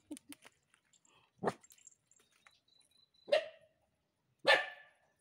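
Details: A dog barking at night while running: scattered single barks, a low short bark near the start, then two sharp, broadband barks about a second apart, with faint clicks and a thin whine between.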